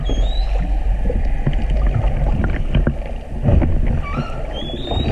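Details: Humpback whale song recorded underwater at Silver Bank, Dominican Republic, in February 2019 while snorkelling with whales; low moans and groans with rising whistled upsweeps and squeaks, over constant low rumbling water noise.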